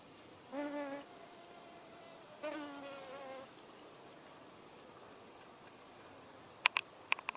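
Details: Male drone fly hovering on hogweed gives two brief humming buzz bursts about two seconds apart, slightly wavering in pitch, followed by silence and a few crisp clicks near the end.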